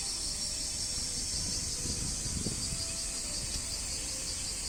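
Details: Japanese cicadas (semi), males calling loudly from trees near damp areas in the summer mating season, give a steady, dense, high-pitched buzzing drone.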